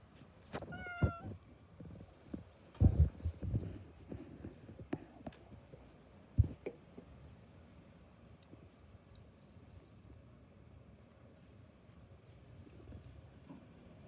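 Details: Domestic cat among several cats feasting on cat grass indoors; one brief, high, rising meow with stacked overtones near the start, followed by soft thuds, rustling and chewing-like clicks against a quiet room background.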